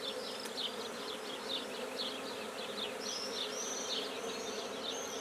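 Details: Colony of black bees being set up in a new hive at Guernay, Côtes-du-Nord, France; the bees keep up a continuous low buzzing drone while birds sing busy, rapid twittering phrases in the background.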